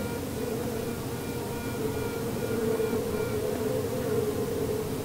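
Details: In an observation hive after a swarm has left, a honey bee queen pipes from inside her queen cell before emerging, a steady nasal tone over the hive's hum; queens pipe to locate rival queens.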